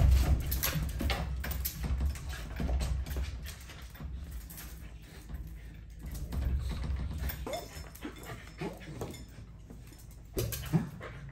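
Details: Pet Corgi dog at home during its owner's work-from-home day, a routine of watching the street out front, barking and sleeping; soft rising whines and whimpers come through intermittently over a steady low rumble indoors.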